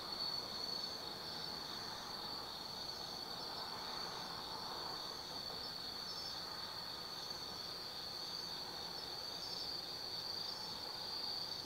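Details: Autumn insects singing at night in the Tsukimi forest, Kaizu, Gifu Prefecture, Japan, from a lookout 180 m above the Nobi Plain: a steady high ringing trill with faint chirps above, over a soft broadband hum of distant background noise.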